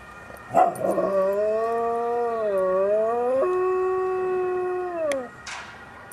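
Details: Dog howling after a police siren: one long, steady, mournful howl of about four seconds that dips slightly midway, then steps down to a lower held pitch before fading. A brief sharp sound comes just before the howl begins.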